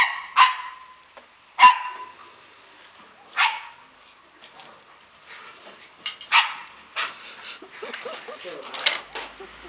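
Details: Short, piercing yips from Samoyed puppies at a Slovak kennel, Klbko radosti, spaced irregularly, then softer scattered whines and rustling toward the end.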